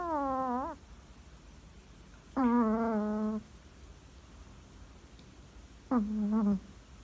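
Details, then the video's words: Lolita, a Chihuahua from Capdepera, snoring while asleep: three drawn-out whistling, whiny breaths spaced a few seconds apart, each steady in pitch and around a second long, with quiet room sound between them. "chihuahua roncando"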